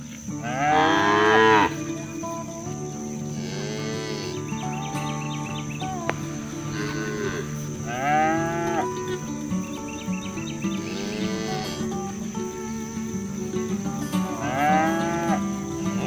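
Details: Free-roaming village cows moo to call their friends back to the barn while being driven from the fields; about five bellowing calls arrive every few seconds over continuous background music and a high hum.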